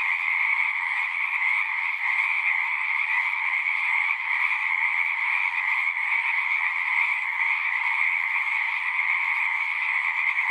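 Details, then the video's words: Frog chorus from a pond in a horse pasture, Zoom 6 recording: an unbroken, dense sheet of high-pitched trilling calls holding steady throughout, with no wind, birds or people heard. "Frogs singing"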